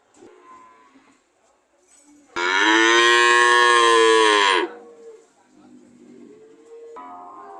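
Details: A single long, loud cow moo of about two seconds, strongly harmonic and steady before dropping off, with quieter lowing and background sounds before and after.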